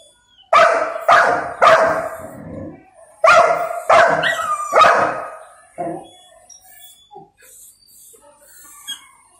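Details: Male Golden Retriever pup madly protesting that he may not eat yet, waiting for his owner's command: a burst of about six loud, rough barks in quick succession, then softer whines and yelps fading out.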